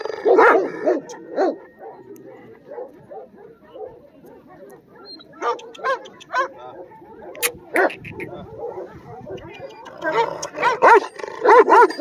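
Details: Afghan Kochi and Bully mix dog, a heavy-bodied red dog, giving loud barks in short uneven bursts near the start, middle and end, with quieter stretches between and background music throughout.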